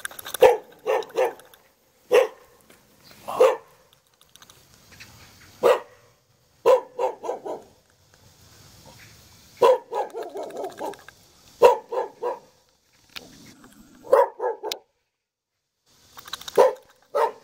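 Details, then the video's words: Jindo dog kept in the yard of a traditional hanok house in Jeonju, North Jeolla Province, Korea, giving sharp barks singly and in quick runs of two to four, separated by short quiet gaps. "한옥건물 앞마당에 사는 귀여운 진돗개"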